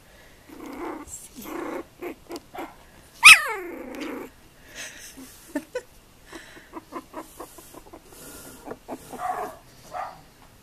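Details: Indoors, a female Tibetan terrier lets out one sharp, high yelp that falls steeply in pitch. Soft huffs, snuffles and brief whimpers follow, scattered through the quieter stretch around it.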